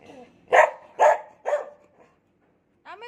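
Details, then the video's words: Three evenly spaced barks roughly half a second apart from Cherry, a pet dog caring for kittens; a human voice follows at the close. "cherry talking take care of kittens"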